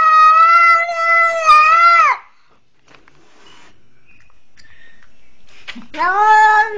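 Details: After being seized by a pitbull, a twenty-day-old kitten lets out a long, loud meow ending in a downward bend, then near silence with faint noises, then a fresh rising cry.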